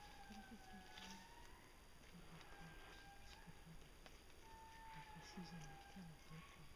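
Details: Young male indri (babakoto) at Parc Mitsinjo near Andasibe, Madagascar, in June 2011: faint, drawn-out wailing tones that glide up and then slowly fall, overlapping at a distance, with low broken sounds and steady hiss underneath.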